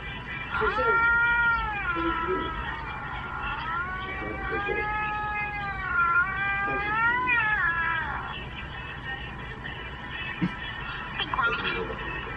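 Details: Domestic cat watching videos of other cats, giving long drawn-out wavering meows with rising and falling tone, several in a row over eight seconds, then quieter; background hum throughout.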